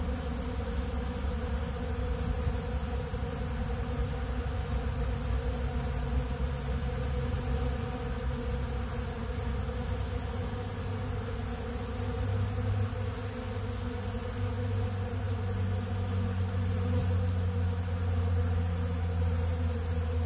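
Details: Honeybees feeding from a big blue pollen feeder on ultra bee pollen give a loud, continuous droning buzz. A deep steady rumble sits beneath the swarm's hum and swells toward the end.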